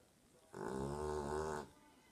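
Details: Daisy, a pet dog, snoring loudly while asleep: one long, droning, harmonic-rich snore lasting about a second, following a person calling her name repeatedly.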